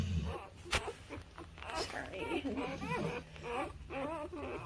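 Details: Newborn puppies, between birth and three weeks old, give high squeaky whines that waver up and down in pitch, several short overlapping cries in quick succession, over a low steady indoor hum.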